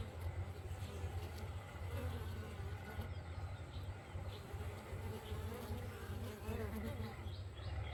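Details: Bees buzzing in the morning around a beehive: a steady low droning hum throughout, with faint high bird chirps in the background.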